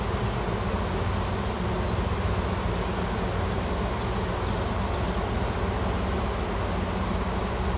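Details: Wild honey bees in a swarm on a farm in Washington, a new queen and many workers clustered in a tree hunting for a new nest; steady deep humming drone, unvarying across nearly eight seconds.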